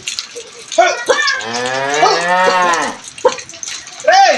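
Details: Brahman cattle, two animals, with one delivering a steady, sustained moo of about two seconds, preceded and followed by brief human shouts.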